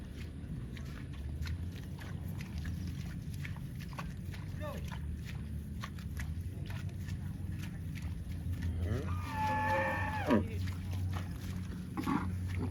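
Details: Cow lowing once near the end: a short, wavering moo that falls away, set against a constant low rumbling hum and scattered clicks and knocks.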